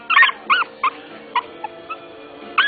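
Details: Three-week-old female puppy, sire black tri and dam solid mahogany red, just learning to walk, lets out a run of thin high squeals and whimpers, some with a rising-falling bend, amid quiet background music.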